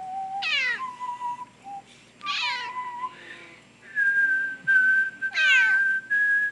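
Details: House cat, female, meowing while a person whistles the Star Wars villain theme, either irritated or singing along; three loud falling harmonic meows about two seconds apart, with steady whistled notes between and after them.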